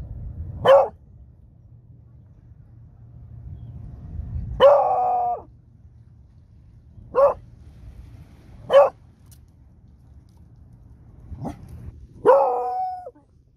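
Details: Smudge the Beagle howling: six short, loud, yelping bays spaced about one to four seconds apart, several ending in a brief drawn-out wavering tail, over a low steady hum.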